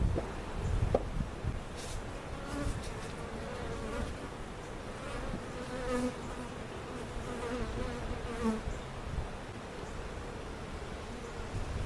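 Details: Honey bees from a giant hive cutout being placed in their permanent spot at Jerome Bee Farm, Central Oklahoma; a steady low droning hum with a faint higher overtone, broken by scattered clicks and knocks of hive handling.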